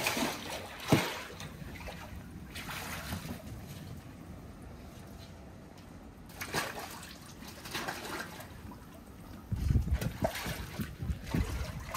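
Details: Splashing and trickling water with rustling handling noises and bursts of sloshing, but no animal voice.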